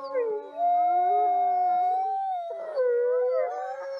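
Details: Several gray wolves howl in long, steady, mournful tones, with a second voice sliding in and overlapping near the end, in a recording looped for relaxation.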